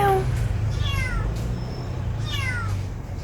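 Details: Stray cat from a local neighbourhood, 2019, Samsung Galaxy S9+ recording: quick sequence of short, sliding meows, several per second, with a brief squeaky high note between them and low road noise underneath.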